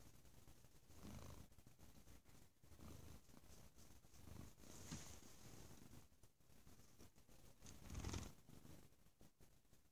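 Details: Bo, a male domestic cat, purring loudly: a low, rumbling throb that swells and fades with each breath about every second and a half, with faint rustling and one brief louder burst near the end.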